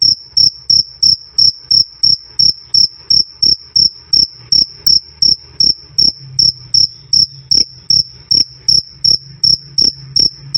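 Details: Cricket giving a loud, clear "krik krik" chirp, used as tutor sound for songbirds: high, pure ringing pulses about three per second in a steady rhythm, each with a soft low thump beneath, with a faint low hum in the background.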